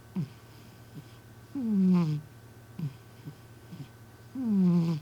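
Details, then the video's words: Community cat asleep indoors, snoring loudly like a person: two long, gravelly, falling snores roughly three seconds apart, small breathy clicks between them, over a constant low background hum. "俺のイビキ ロングバージョン💤 My snoring"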